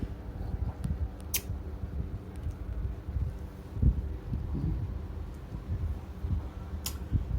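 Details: A steady low fan hum fills a small indoor room, with a few faint clicks and light handling sounds and no animal voice.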